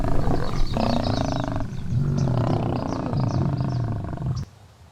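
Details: Lions gathered around a fresh kill in Luangwa, feeding with low growls; deep, rumbling growls run almost continuously for about four and a half seconds, then drop away to quiet, with faint bird chirps above.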